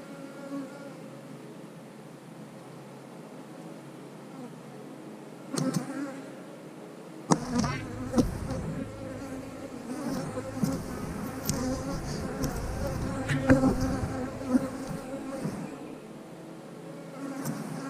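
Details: Honey bees droning inside an open eight-frame hive as a beekeeper pulls another frame, where eggs, larvae and many drones are seen; a soft hum at first, then a fuller buzzing mixed with thumps and scraping of wood.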